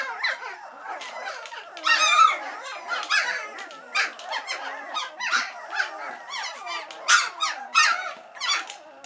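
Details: Three-week-old White Swiss Shepherd puppies, growing impatient while waiting for their mother Cova to return and feed them. A litter chorus of overlapping high squeaky whines and yelps, with louder bursts near two, seven and eight seconds.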